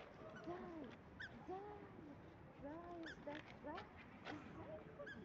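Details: Border Collie whimpering: soft, arching whiny tones that rise and fall, coming roughly once a second in short bouts, with faint clicks and a steady background hiss.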